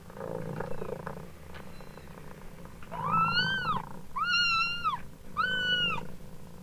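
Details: Kittens meow in three clear, high, arched cries a second apart over their mother's continuous low, rumbling purr.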